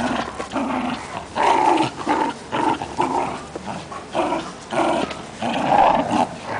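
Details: Rani, a little female Fox Terrier, and Cookie, a Great Dane, growling during play; gravelly growls come in short rolling bursts about once a second, with brief pauses between.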